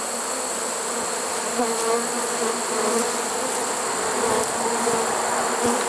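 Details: Honey bee swarm caught in a swarm trap late in the season, on September 1, 2019: a dense, steady droning hum with a low fundamental and stacked overtones, holding an even level throughout with faint flickers of individual wingbeats.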